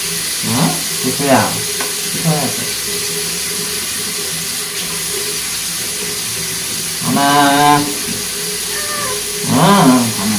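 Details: During an unwanted bath, Soso, a short-tailed male Korean shorthair once found as a street cat, lets out two wailing, wavering meows late on, with running water and brief background chatter earlier.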